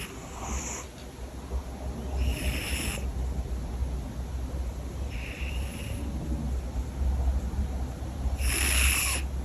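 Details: Domestic cat asleep and snoring loudly: breathy, hissing snore bursts recur roughly every three seconds over a steady low rumble.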